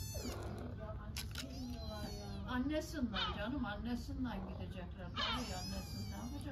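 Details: In Istanbul, Turkey, a hungry stray kitten cries for its mother cat with repeated short, high meows. A woman speaks softly in Turkish throughout, and a low hum runs underneath.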